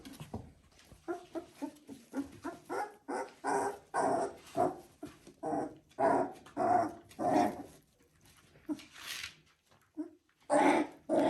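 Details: Three-week-old Border Collie puppies vocalising: a rapid run of short whining and growling yelps, roughly a hundred per minute at first, irregular, mid-pitched with bright harmonics, then a brief pause before louder squeals near the end.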